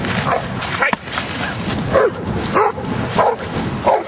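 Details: Giant schnauzer Luther out in rain and mud, dated 01-12-10, gives four quick mid-pitched barks spaced roughly half a second apart, with constant wet background hiss and a faint voice.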